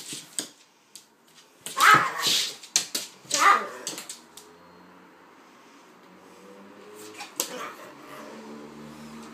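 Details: Kaiser the pitbull and Viki the King Charles spaniel at play together: two strong barking bursts close together, then lighter scattered yaps over a steady indoor background.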